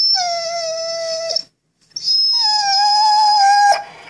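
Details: Rugby, a Vizsla, gives two long, steady, mournful howls, the second slightly rising, when told to speak, as though telling a sad story about missing his fish chew toy.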